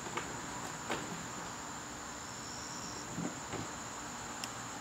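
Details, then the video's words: Garden crickets calling during a September evening: a continuous thin, high trill runs without pause, broken by a few sharp clicks and taps and one brief higher buzz midway. "garden crickets"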